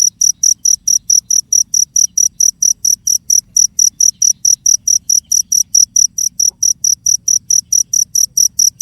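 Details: Cricket chirping in steady, even pulses, roughly four high, shrill chirps per second, repeating without a break over a faint low hum.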